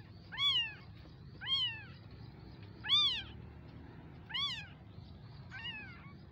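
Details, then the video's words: Kitten giving loud, high, arched meows, each rising then falling, five cries spaced about one second apart, with a quiet low hum behind. "Mini cute kittens baby meowing"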